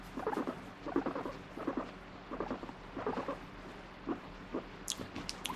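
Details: Pet guinea pig, alternately wanting to be stroked and refusing touch, gives short pulsed chut-like sounds in clusters about once a second over a quiet room background, with a few sharp clicks near the end.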